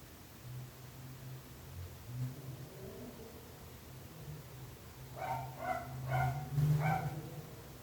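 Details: Dog barking, described as disturbing the neighbours: a low steady rumble fills the first seconds, then a run of four or five rapid barks rises over it.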